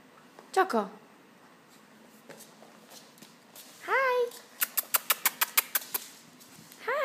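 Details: Choco, a 9-week-old Norwich Terrier puppy, indoors: high whining howls with falling harmonics, then a rapid run of about ten short sharp yips, and another rising whine at the end; faint voices in the room.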